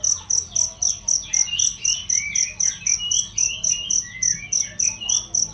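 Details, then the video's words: Cricket chirping as training audio for songbirds, loud and clear: sharp high chirps repeated about four times a second in a steady beat, with softer bird twittering and sliding whistles underneath. "masteran jangkrik untuk burung"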